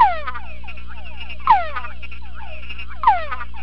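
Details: A male túngara frog in a sound-proof box answers a conspecific chorus played through a speaker. It gives descending whines about every 1.5 seconds, over overlapping chorus calls and a constant low hum.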